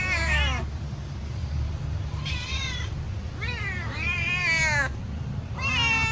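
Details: Cat waiting impatiently for food to be served, meowing loudly; four drawn-out meows, some rising then falling, separated by short pauses, over low background hum.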